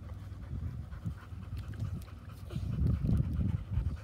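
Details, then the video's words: Two hunting dogs, a Bandog and a Bull Lurcher, pant heavily while cooling off after a hard run: rapid, low, breathy huffs, roughly three to four a second, growing louder toward the end. "Bandog and Bull Lurcher cooling off after a hard run"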